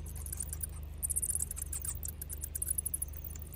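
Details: Bats leaving their cave to go feeding: a dense mass of high, thin squeaks and twittering chirps, with scattered ticks throughout, over a steady low rumble.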